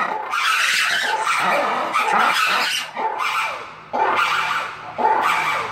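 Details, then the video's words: Lemurs calling, sounds a lemur group may use to alert members to predators, warn competitors or reach distant group members; loud harsh shrieking calls in overlapping bursts, rising and falling, dense and noisy throughout. "Lemur Sounds PART 2!"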